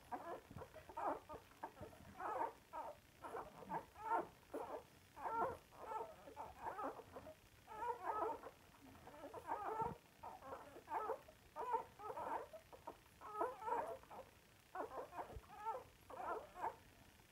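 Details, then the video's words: Several pet Samoyeds singing while they eat: dense run of whiny, warbling yelps and moans, mid-pitched, crowding together almost continuously with brief pauses. "Кушают и песенку поют наши самоедики"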